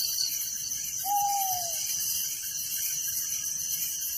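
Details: A dense night chorus of crickets in a village gives a steady, high, shimmering trill, with one brief whistled note.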